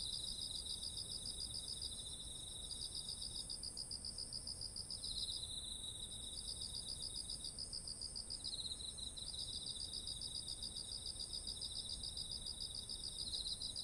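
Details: Autumn insect voices by ripe rice fields in Japan, recorded with a ZOOM H1essential: steady high pulsing trills broken by brief pauses, at least two singers overlapping, with an unbroken shrill high band and soft low background noise.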